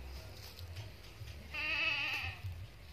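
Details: Bleat from a Boer cross goat: one quavering, nasal cry lasting almost a second, set against low background rumble and soft noise.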